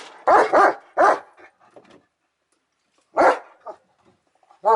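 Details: German Shepherd named Odin barking in short loud bursts: a quick pair of barks, a third a moment later, then a pause of about two seconds before another bark and a final one at the end.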